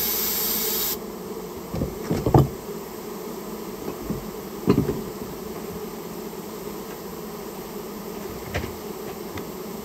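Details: Japanese honey bees of a colony built inside someone's storehouse, being removed: a continuous low, even buzzing hum under scattered knocking and thumping sounds, with a short hissy burst at the very start.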